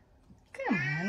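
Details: Cat giving a single short meow that starts high and slides downward, bright and harmonic, in a small indoor room, with faint talk just before.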